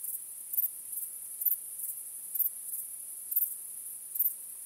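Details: Nighttime crickets: a piercing, continuous high trill marked by about five stronger chirps, each roughly a second apart, with fainter pulses between them and no other sounds.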